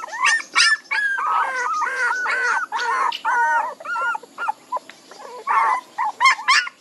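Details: Loud chorus of young puppies crying, many overlapping squeaky whines and yelps with wavering pitch, nearly continuous, broken by brief pauses near the end.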